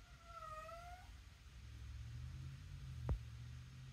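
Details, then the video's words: A domestic cat, described as talking while taking her own toy out, gives one drawn-out meow that rises then falls slightly in the first second, followed by a low steady hum and a single sharp knock. "talking cat taking her own toy out"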